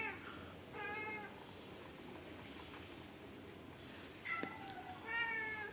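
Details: Pet cat in a city meowing several times: a faint short call, then a clear drawn-out meow, a pause, and two more meows in quick succession, set against steady low background noise and a brief tap.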